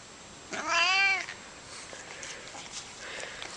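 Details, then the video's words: Domestic cat making an odd noise while petted indoors: one rich, harmonic meow lasting about three quarters of a second, arching slightly in pitch, followed by faint rustling and handling sounds in a quiet room. "Cat Makes Crazy Noise When Petted"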